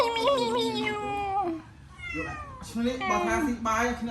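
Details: Hungry cats being fed rice give long, drawn-out meows with rich harmonics, each wavering then sliding down in pitch, several following one another over a few seconds while people talk close by indoors.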